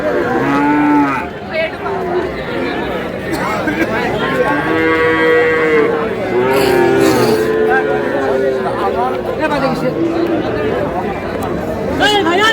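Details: Sahiwal bull calves at a cattle market in Noakhali, Bangladesh, bought by a farmer: several drawn-out, tonal moos overlap amid constant crowd chatter and speech.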